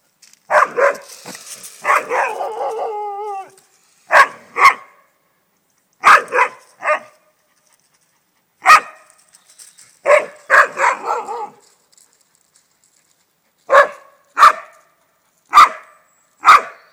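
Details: Alaskan Malamute dog barking at a swan walking through the garden, unhappy at the intruder; a burst of rough barks and a short wavering howl-like yowl, then single sharp barks spaced one to two seconds apart.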